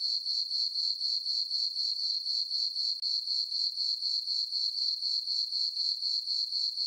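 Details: On a farm meadow at night under a full moon and dark sky, crickets keep up a high, metallic pulsed chirping, around four beats per second, steady and continuous.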